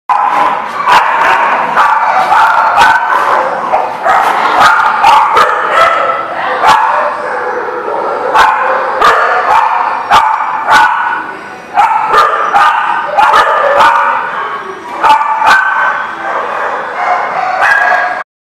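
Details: Dogs barking, recorded 12 April 2019: a steady stream of sharp, overlapping barks and yips from several dogs, sounding almost without pause throughout, with a brief lull near the middle.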